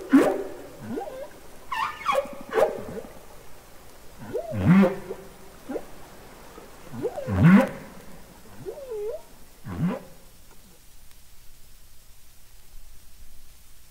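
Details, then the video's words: Underwater humpback whale song from Capitol Records ST-620: deep swooping moans that dip low and curl back up, spaced roughly every two to three seconds, ending in a fading wavering note and then near quiet. "Songs Of The Humpback Whale"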